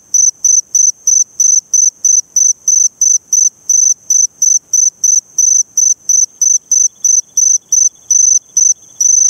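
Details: Short, rapid bursts of high-pitched trilling from a Eurepella cricket, Eighty Mile Beach, Western Australia, pulsing about three times a second with a few slightly longer gaps; nothing else audible.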